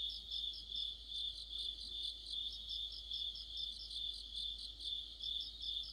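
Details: Crickets and other insects sing together in autumn: a continuous high chirping beat, around two and a half pulses per second, with a second, higher rhythmic voice weaving through it over a low steady background.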